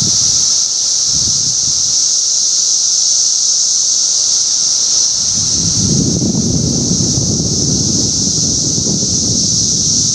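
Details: Periodical cicadas of a Northern Illinois sub-brood emerging in 2020, chorusing in a yard: a steady, unbroken high-pitched droning hiss, with low rumbling wind or handling noise joining midway.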